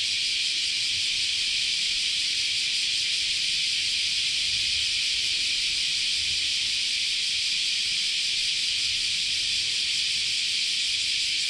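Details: Many cicadas in continuous summer chorus at Chionji Temple, Kyoto, Japan: a dense, unbroken high buzzing wall of sound, steady in loudness throughout, with faint low rumble beneath.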